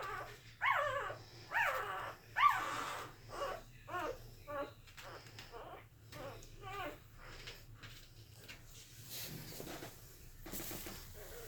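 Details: Corgi puppies making small whimpering and squeaking noises while asleep indoors in August 2018; soft, irregular nasal whines and grunts roughly once a second, fading toward the end, with a brief human voice.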